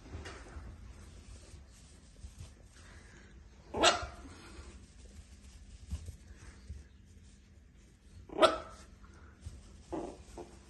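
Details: Chihuahua pup at an animal shelter, a male; two sharp barks about four seconds apart, then a softer third yelp, over a low steady hum and quiet background.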